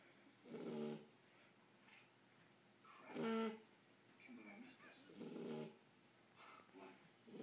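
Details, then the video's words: Ten-week-old Shar Pei puppy asleep, snoring: broad rasping breaths repeating roughly every two to three seconds, each swelling and fading, with some faint background sounds between them. "Marley the shar pei snoring"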